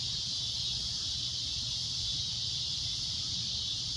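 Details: Cicada at sunset giving a loud shrill droning noise, a constant high hiss-like buzz with a faint low hum below.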